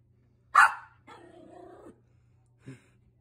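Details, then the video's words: Pet dog barking at an air vent: one loud, sharp bark, then a lower, rough, drawn-out growling sound lasting under a second, ending with a short soft bark; faint constant hum behind. "my dog barking at an air vent"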